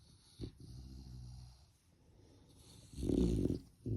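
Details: Puppy asleep in its bed in the morning, snoring softly: a low rumbling breath around 0.5–1.5 s, then a louder snore-snort burst near 3–3.5 s and another at the end.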